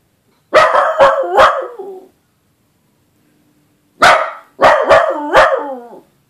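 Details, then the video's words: Scooter the dachshund howling for the first time: two bursts of three sharp barks, each ending in a short wavering tail. The bursts are separated by a quiet gap of about two seconds. "Scooter the dachshund first time howling"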